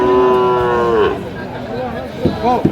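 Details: Sahiwal bull calf, eight to nine months old, at a cattle market in Sylhet, Bangladesh, on 15 February 2025: one long, steady, tonal moo of about a second that drops at the end, followed by men's voices.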